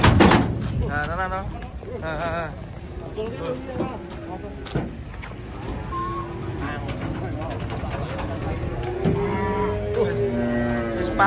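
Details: Cattle coming down from a truck, one agitated animal among them: a few short moos early on, then a longer lowing moo near the end, over people talking, vehicle noise and music.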